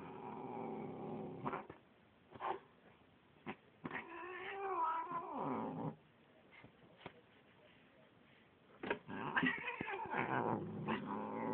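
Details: Domestic cat, a fully black, grumpy female apparently named Bubba, giving drawn-out wavering yowls and growls with rising and falling tones, broken by sharp clicks and short bursts and pauses of near silence.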